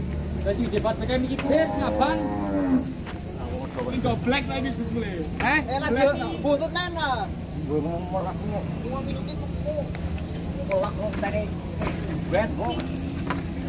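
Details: Cattle, part of a group of 25 being loaded onto trucks in Purwokerto, Indonesia, give several drawn-out moos with wavering harmonics over a steady low engine drone, with voices and clatter around them.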